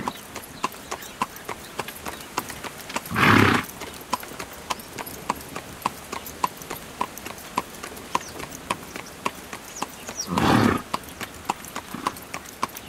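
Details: Carriage-pulling horse on the move: quick, even clip-clop of hooves with bright ringing accents, interrupted twice by loud, broad, breathy bursts lasting under a second.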